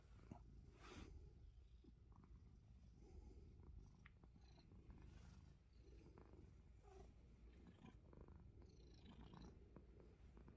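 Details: A domestic Himalayan Persian cat purrs while nibbling fingers, a low vibrating drone holding steady for the full length, dotted with brief rustles and light taps.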